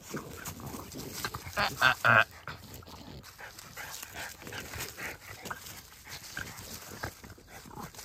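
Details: Puppies, American Pit Bull Terrier and French Bulldogs, playing at sundown; a quick run of three or four sharp, high yelps near the two-second mark, then scuffling and rustling play noise with faint human voices underneath.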